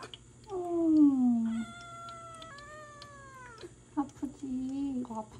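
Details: Seven-month-old Ragdoll kitten Jelly, on her first day home after hospital treatment for feline peritonitis, given injections indoors: two long drawn-out meows, the first sliding downward, the second steady and strained, then shorter cries, with a woman speaking softly and music.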